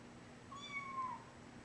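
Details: A three-week-old foster kitten being moved from a crate to a basket gives a single thin, drawn-out meow that slides gently downward, against a soft, low background hum.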